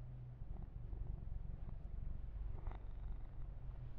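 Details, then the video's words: Close, steady purr of a massaged pet kitten named Yumak, a low vibrating rumble with even rapid pulses and only faint handling sounds. "Kitten Massage - Perfect Sleep Helper Ear to Ear Purring"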